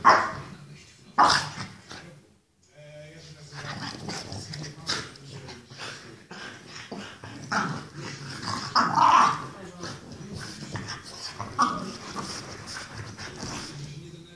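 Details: Excited French Bulldog, playful and crazy, giving a long run of rasping growls and snorts with a few short barks scattered through, while human voices talk over parts of the recording.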